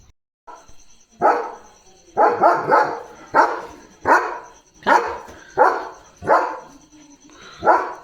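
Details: Leo, a pet German Shepherd, barking at something he has spotted outside at night: about eight loud, rough barks spaced roughly a second apart, some doubled, with a steady faint high tone in the background.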